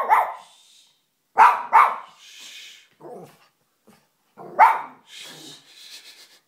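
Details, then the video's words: Pet dog barking at the family's fish indoors, a first for her; loud harsh barks, a single one then a quick double and another later, with softer huffs and grumbles between. "Dog barking at fish"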